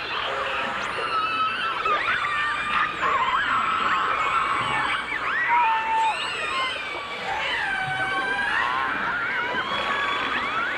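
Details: Dolphins, recorded underwater in full dimensional stereo in 1989: a dense chorus of overlapping high whistles, some sweeping up, others bending down or holding level, broken by short squeals and clicks. No other sounds are clear.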